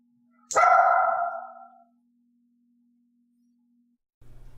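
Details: Dog offering barks on her own during clicker training, without the knocking prompt: one loud sharp bark that trails off over about a second, then quiet with a steady faint hum, and low rumbling at the end.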